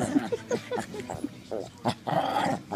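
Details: Two wrestling Shih Tzu, Mav and Murph, trade quick snuffling growls and yips in a rapid, uneven string of short bursts, ending with a higher whiny growl.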